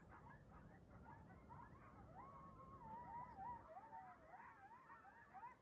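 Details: Pack of coyotes running through a neighborhood in the morning, waking up and on the move: faint, wavering, overlapping yips and howls from several voices rise and fall over a steady low background rumble.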